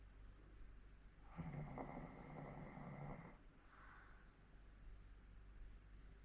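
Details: Elderly Hokkaido dog, fourteen years old, snoring while asleep in Sapporo: one grating two-second inhaled snore, then a faint short exhale, with a constant low hum in the room.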